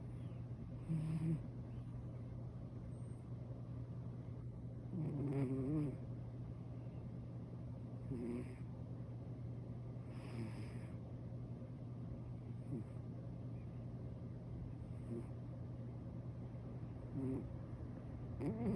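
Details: Sleeping senior calico cat snoring comfortably; soft breathy snores come at uneven intervals, a few seconds apart, some with a low raspy rattle, over a steady low hum.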